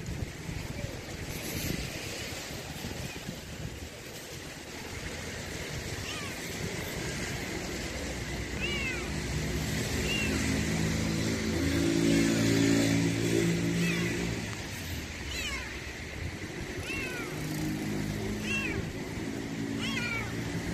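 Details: A hungry stray kitten, found out in cold weather, gives thin, rising meows several times over the clip. The calls are partly buried in steady broadband background noise and a low rumble.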